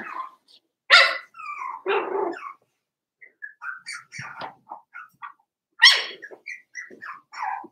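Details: Four-week-old Cavalier King Charles Spaniel puppies in their indoor puppy pen give short, high yips and small barks in scattered bursts, with a few louder sharp yelps standing out between quieter squeaks.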